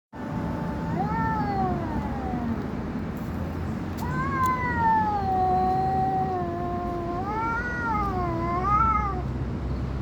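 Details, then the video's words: Domestic cat making creepy noises: long, drawn-out, wavering yowls that rise, sag and bend in pitch, with a sustained moaning stretch in the middle and a final undulating wail, over a low background rumble. "cat is making creepy noises"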